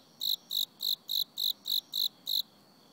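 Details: Autumn cricket chirping: eight clear, shrill pulses repeated evenly about every third of a second, with faint background hiss between them.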